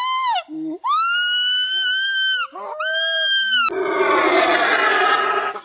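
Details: A primate gives loud, clear whistled calls: a short high note, then a long one that rises and holds steady before dropping. Two similar calls follow, then a harsh, noisy rasping burst fills the last two seconds.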